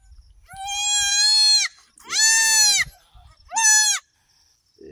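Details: Goat on a farm during a birth of three female kids, giving three loud, rich, harmonic bleats, each about one second long and slightly arched in pitch, separated by short pauses, with faint rustling between.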